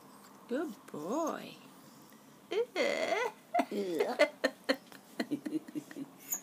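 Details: Four-week-old puppies of Daisy, now trying liquidised food, indoors: high, arching whimpers and squeaks in quick bursts, rising and falling, mixed with clicks and scuffling, while a person talks and laughs nearby.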